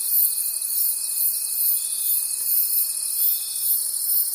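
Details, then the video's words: Night chorus of crickets in the forest: a bright, very high pulsing trill beating steadily around twice a second, above a constant buzzing hum and a faint sustained tone, with no other sounds. "Forest Sounds and Cricket Conversations at Night"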